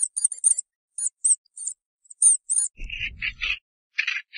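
A mongoose opens with quick, piercing high chirps in small clusters. These give way to coarse, grating screams, each lasting under a second, with a low rumble beneath the first ones.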